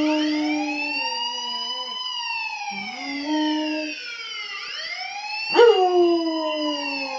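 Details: A dog named Max howls in reply to a police alarm. Flat, harmonic howls break and restart at a higher pitch, then dip, beneath the siren's continuous up-and-down wail, with a sharp bark-like burst near the end.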